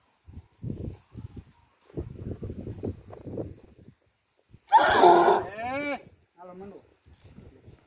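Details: Marwari stallion giving a loud neigh: a harsh burst that breaks into a string of wavering, downward-bending harmonic whinnies over about a second and a half. People talk beforehand, and a fainter short call follows.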